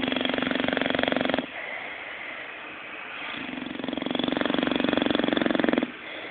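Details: Sleeping bulldog Zé, dreaming, gives two long rattling snores of fast regular pulses, the first about one and a half seconds, the second about two and a half, separated by quieter breathing.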